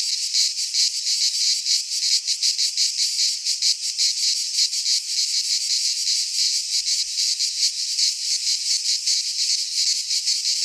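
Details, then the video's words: Midsummer cicada chorus from a pine forest in Greece, a continuous shrill high-pitched buzz with rapid rhythmic pulsing throughout and faint low rumble near the end. "Cicadas singing in midsummer - Nature sounds from the Greek fauna - Sounds of cicadas"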